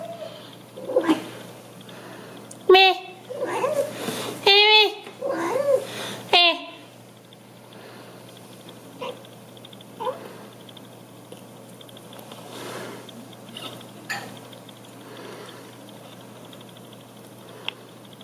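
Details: Indoor domestic cat vocalising at its owner during dishwasher emptying: a quick cluster of four short, bent meows in the first seven seconds, then only quiet room noise and faint clinks.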